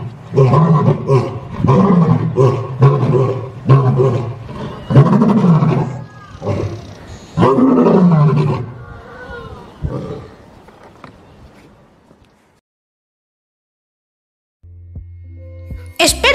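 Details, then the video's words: A lion roars in a series of deep, throaty bursts that fade into shorter grunts. "¿Te gustaría escuchar el rugido de un león?"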